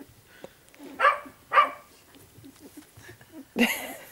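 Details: Puppies starting to get mobile: two short yappy barks about half a second apart, then a louder bark near the end, with soft rustling between.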